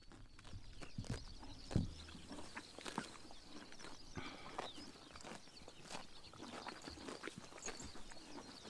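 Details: Horses biting grass in the morning sun during summer in Mongolia, outdoors: irregular crisp tearing and crunching clicks spread across the clip, with one louder low thump near the second mark and quiet rural background.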